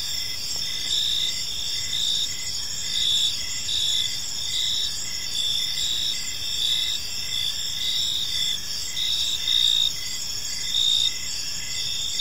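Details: Evening cricket chorus in a quiet park, a continuous high-pitched ringing with many overlapping callers and a soft, evenly pulsing lower chirp throughout.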